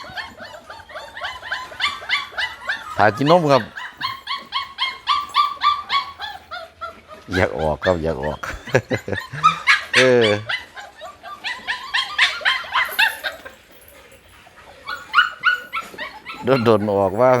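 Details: Several hungry Pit Bull puppies keep up rapid high-pitched whining and yelping, with a man speaking at times and laughter, the crying fading briefly before resuming.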